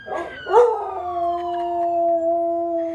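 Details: Dog giving a loud howl: a quick yelp-like rise at the start, then a long, steady, clear tone held for over two seconds.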